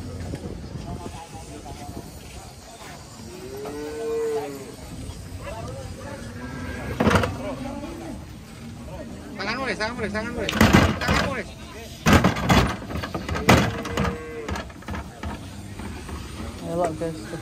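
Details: Angry cattle, frightened of water before being carried, give two short arched moos several seconds apart amid loud clattering knocks, handling noise and human voices.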